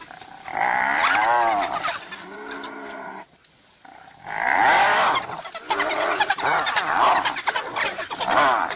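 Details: Spotted hyenas threatened by wild dogs: bursts of loud, quavering, harmonic yelps and giggle-like wavering cries, a brief near-silent pause, then a denser run of overlapping rising and falling calls.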